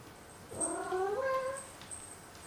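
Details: Complaining black cat Momo lets out one long, wavering grumble-meow of about a second, its harmonics bending upward before it trails off, with a faint high whine behind it.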